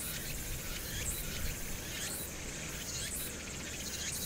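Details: Cicadas in summer on Hwangnyeongsan, Korea, 1 August 2019, with urban noise behind; several faint upward-sweeping buzzes rise out of a continuous high insect drone over strong low-pitched city rumble.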